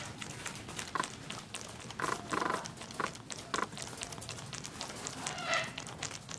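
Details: Baby goats 7 to 12 days old being bottle fed on a farm; short, quiet bleats come in brief bursts around one, two to two and a half, and three and a half seconds, with a longer tonal bleat near the end amid clattery feeding noise.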